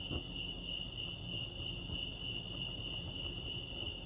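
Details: Crickets chirping at Lake Arrowhead, California: a steady, unbroken high-pitched trill with a second fainter, higher tone above it, over a low background rumble.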